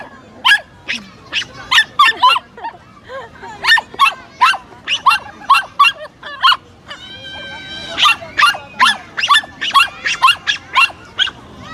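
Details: Pomeranian dog barking while meeting a new friend: rapid bursts of sharp, high-pitched yapping barks in quick runs, with a brief whining, wavering sound around the middle before the barking resumes.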